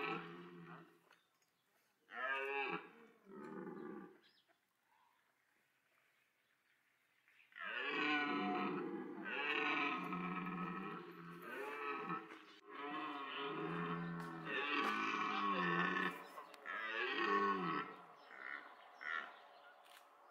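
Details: Red deer stags at Parc Sainte-Croix during the autumn rut, calling to win females while rivals fight evenly; short grunting bursts, a silence, then a long run of loud, harsh, overlapping roars and groans.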